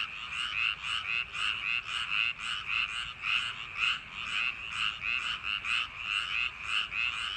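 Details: Frogs in summer-night rice paddies produce a loud chorus of rasping croaks at nearly two per second, the rhythm uneven as several callers overlap.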